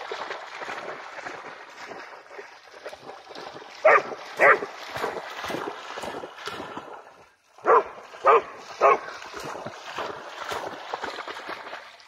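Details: Pharaoh Hound Jax, eagerly and tirelessly trying to catch a bug-hunting bat over water, gives five sharp, loud barks: two near four seconds, then three more about half a second apart, over steady splashing water and a voice.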